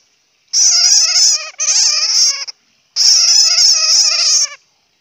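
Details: Bat crying (Hmong: suab puav quaj): harsh, buzzy squeals with many layered wavering tones, delivered in two long bursts of about a second each, separated by silence.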